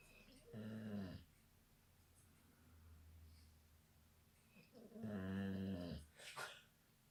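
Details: Sleeping Labrador retriever lying awkwardly, snoring indoors: two drawn-out, rumbling snores, each about half a second to a second long and separated by several seconds of quieter low breathing, with faint room noise.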